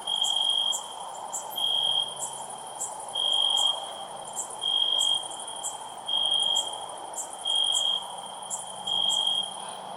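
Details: A cricket chirps loudly, bursts of shrill trilling recurring about every one and a half seconds over a continuous high drone, accompanied by scattered high-pitched ticks.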